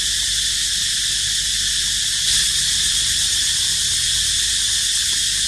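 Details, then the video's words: Cicada crying: one steady, loud, high droning buzz that fills the whole stretch without a break, with a brief swell in intensity near the middle and a faint low rumble beneath. "Amazing Sound Of Cicada Crying"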